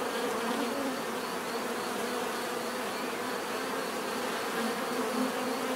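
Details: Bees in a natural setting, their buzzing a steady, dense drone with low hum bands and a faint high whine, continuous with no pauses.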